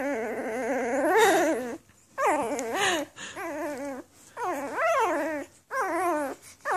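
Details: Whimpers from a litter of newborn Afghan Hound puppies, May 23, 2014: four quavering whines that climb then drop in pitch, each lasting about a second, with short quiet pauses between them.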